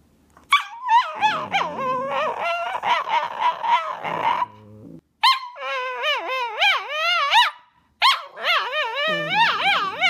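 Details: Male tricolour Cavalier King Charles Spaniel 'talks' in wavering, warbling whine-howls that rise and fall in pitch, delivered in three bursts separated by short silences, sounding like mumbled speech.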